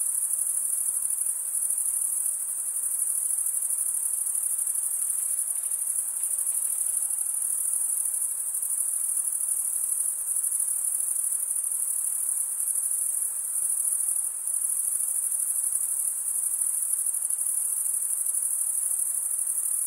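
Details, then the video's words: Chirping crickets on a summer night in the forest, their sharp high ringing trill running evenly for the full twenty seconds, with a gentle airy background and no other animals. "Pure cricket music for 20 min"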